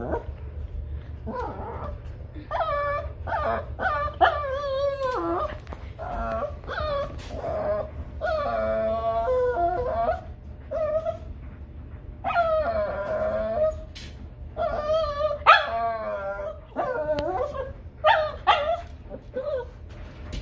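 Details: A Shih Tzu whines and cries for a cat in high, wavering, drawn-out whimpers that come in repeated bursts.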